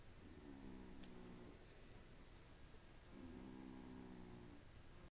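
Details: Carver the cat snoring in his sleep, suspected of sleep apnea, keeping his Rottweiler friend Chief awake; two drawn-out, low, rumbling snores of about a second and a half each, roughly three seconds apart, in a quiet indoor room.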